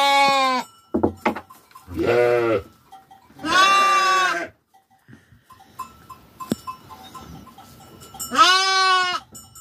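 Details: Sheep on a farm during daily care let out several quavering bleats, with a gap of quieter background holding faint metallic tinkles and a sharp click before a last loud bleat.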